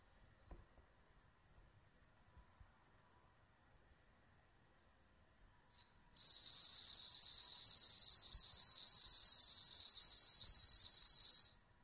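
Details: Captive-bred bell crickets in Hokkaido, Japan, where none live wild, watched indoors by cats: quiet room for six seconds, then a loud, steady, high ringing trill with fine rapid pulsing starts abruptly and runs about five seconds before stopping.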